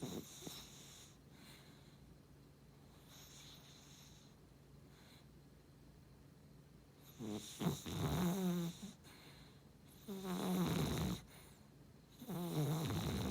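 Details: Beagle and Cavalier cross dog snoring: after about seven quiet seconds, three loud, low, rattling snores of roughly a second each, with short breathing gaps between them.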